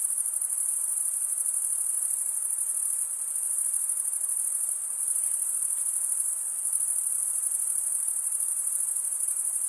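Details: Crickets stridulating, with males rubbing one wing's toothed vein against the other: a dense, steady high-pitched shimmering trill that never pauses, with pulsing texture throughout and no other sounds.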